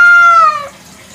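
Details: Domestic kampung cat meowing at night: one short, clear, harmonic meow that glides gently downward and fades out within a second.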